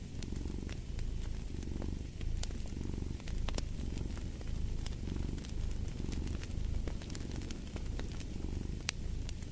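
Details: Domestic cat purring steadily alongside a crackling fireplace, a low rumbling drone that swells and fades with each breath roughly every second and a half, while sharp pops and snaps of burning wood cut through above.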